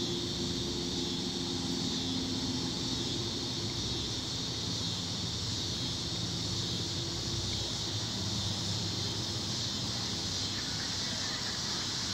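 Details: Continuous high, ringing trill of tree crickets covering other sounds, a dense unvarying insect drone lasting the whole stretch, over a low rumbling hum like distant vehicles.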